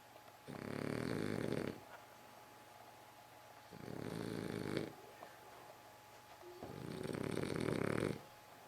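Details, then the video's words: French Bulldog snoring: three loud, rough, rattling snores, each over a second long, separated by quiet pauses of about two seconds, with a faint steady hum underneath. "French Bulldog Abercromby snoring"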